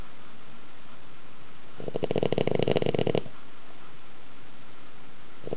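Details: Sleeping dog snoring loudly indoors in a tilted house, said to be as loud as a grown man; a single rough, rattling snore burst lasting about a second and a half amid quiet room hiss.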